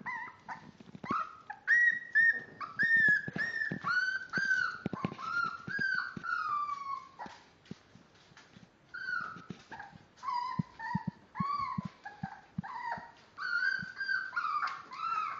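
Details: Five-week-old Miniature Dachshund puppies, born March 30th, whimpering and yelping in high, wavering, overlapping cries.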